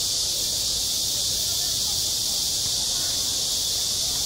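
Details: Cicadas singing in midsummer at a school playground: a dense, unbroken high-pitched hiss-like drone holding steady at constant loudness from start to finish, with no other clear sounds.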